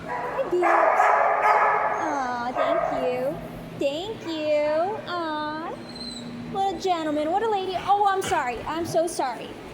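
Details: Begging for cuddles, Penny the dog makes a rapid series of rising and falling whines, each sliding up then down, about four per second at times, alongside a person's speech.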